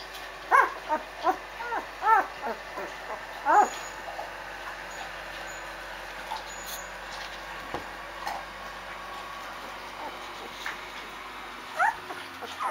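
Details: Eight-day-old Rhodesian Ridgeback puppies in a litter box, sleepy after feeding and starting to crawl: a burst of short, high whimpers and squeaks in the first four seconds, then mostly quiet with a few faint squeaks near the end.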